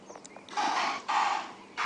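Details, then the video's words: Impala herd alarm calling, or shouting, at a nearby lion pride on a sunrise safari drive: harsh broadband bursts, each about half a second long, repeated three times with quiet gaps, faint bird notes early on. "chat to us on the YouTube chat stream and that noise you can hear if you're perhaps a first time viewer is the alarm calling of the Impala"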